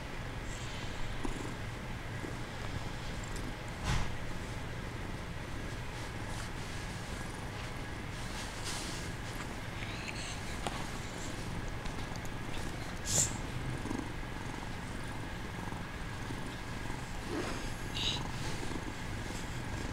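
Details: Male kitten purring while feigning sleep; a steady, low, rumbling purr runs through the whole stretch, with a few brief faint clicks and rustles on top.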